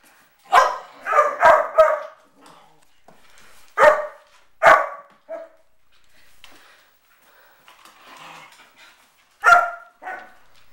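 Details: Three-year-old Bedlington terrier barking to set straight a four-month-old Scottish Deerhound puppy playing with his toys: a quick run of four sharp barks, two more spaced barks, a short yip, then one final bark after a pause.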